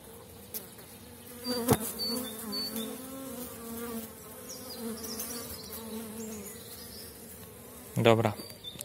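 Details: Honey bee colony in super strength, small-cell 4.9 bees at an April apiary while supers are added during the dandelion flow. A loud, even droning buzz with a clear layered tone holds throughout, punctuated by sharp knocks near the start and end.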